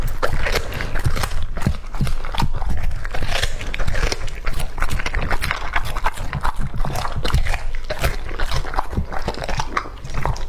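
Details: Lucky, a two-and-a-half-year-old male English Labrador, eats raw meat indoors: dense, crunchy biting and wet chewing in rapid, uneven bursts, continuous for about ten seconds, with no barking or other voices.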